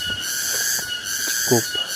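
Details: Cicadas drone in a steady, high, shimmering chorus in forest at Cigowong, post 1 of Mount Ciremai's Palutungan hiking trail, with a brief human voice near the end.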